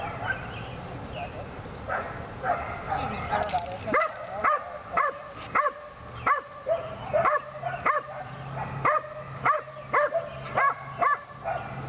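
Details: Lily, a Belgian Malinois bitch training in PSA on leg sleeves for the second time. Confused noise and a low hum open the clip, then clear, evenly spaced single barks ring out about every half second.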